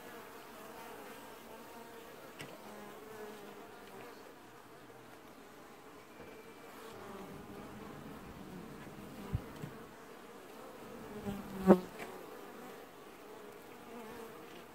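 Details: Honey bees washboarding at a hive in an apiary, early July 2019, the only colony showing this behaviour; soft steady humming buzz of many bees, broken by a few sharp knocks and a loud bang near the end.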